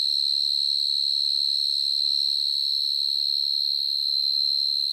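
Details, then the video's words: In an evening garden, a burrowing cricket that digs its home in the ground sings very loudly: a continuous pure high note, even and unwavering for the whole stretch, with a faint low hum in the background. "Real Sound Of Cricket"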